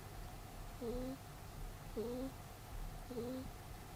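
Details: Sleeping pet rabbit named Peter snores in three brief whistled squeaks roughly once per second, each a low two-toned breath note rising slightly at its end, with steady faint hum underneath.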